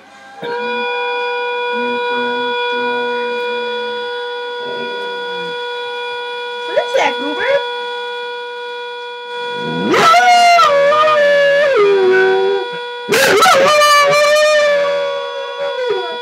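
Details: A two-year-old Border Collie howls along to a whistling teapot in the morning. The kettle's steady high whistle runs throughout. The dog gives a brief wavering howl near seven seconds, then long, sliding howls that fall in pitch from ten seconds onward.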